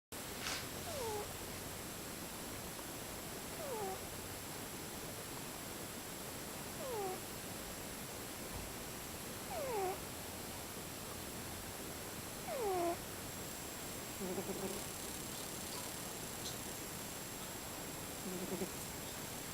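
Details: A sleeping cat snoring in different tones: thin whistled notes sliding downward, often paired, recur about every three seconds, some breaths fainter than others, over a constant steady hiss.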